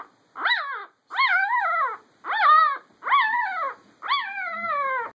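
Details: Noisy puppy giving five loud, whining howl-like cries, each rising then sliding down in pitch, lasting about half a second to a second, separated by short pauses.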